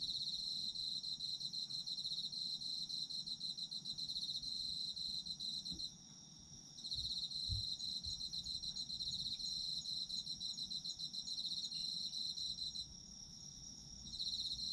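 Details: Night-time chorus of autumn insects, a continuous high-pitched pulsed trill with short pauses near 6 and 13 seconds, faint low rumbles underneath.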